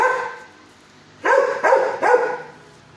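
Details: Kennelled six-year-old dog at a shelter barking at its feeder: after a lull, three strong barks about half a second apart, each with a clear rising-then-falling onset and rich overtones.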